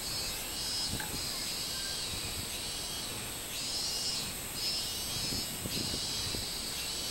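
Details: Minmin cicada song from 24 July 2016: loud, high, buzzy surges that swell and fade in uneven bursts over a continuous shrill background drone.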